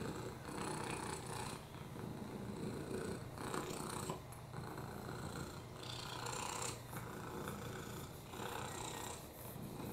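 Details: Lap-sitting rescue cat Oliver, suffering a broken hip, upper respiratory infections and FIV, gives a rhythmic purr: a low vibrating drone punctuated by airy, wheezy breaths every couple of seconds.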